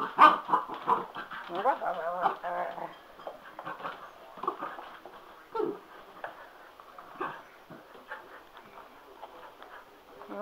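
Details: Indoors, male Cocker Spaniel Sugar grows excited at a spin mop, letting out a rapid run of whimpering, wavering yelps that are strongest at first, then tapering into scattered whines while someone scolds and talks to him.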